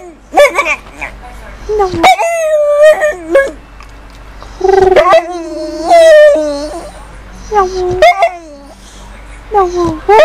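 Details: Female pet dog 'talking' back: a run of bent, yodelling, harmonic-rich moans and whines of varying length, rising and falling in pitch, separated by short pauses.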